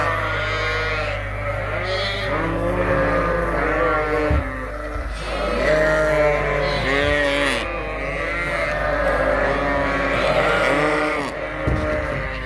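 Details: A crowd of Suffolk lambs at Ewetopia Farms, running together in the barn after escaping through an open gate, bleating continuously in overlapping wavering calls, with a low steady hum behind.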